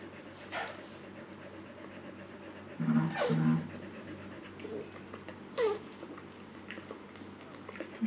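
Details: Calm Siberian Husky Luna during her second labor, birthing puppies: a few brief, thin whimpers sliding downward in pitch, spaced several seconds apart, over low background hum and quiet breathing.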